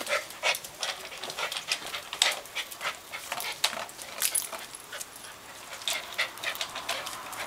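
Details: Young dogs on a bathing day, panting in quick breathy bursts about every half second, airy and hissing with no voiced tone, steady throughout.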